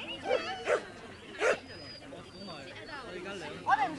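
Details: Bichon Frise at a charity dog sports day with barbecue, barking; three short sharp barks in the first second and a half, another near the end, with people talking throughout.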